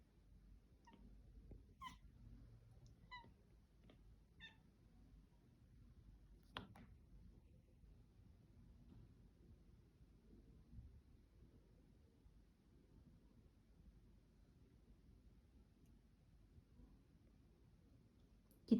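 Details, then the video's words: Cat named Mila making odd noises: a quick run of short, high chirps and chattering bursts in the first five seconds, then a single sharp note near seven seconds, over a quiet low indoor hum. A woman's voice follows, asking whether the birds have gone. "Mila makes weird noises"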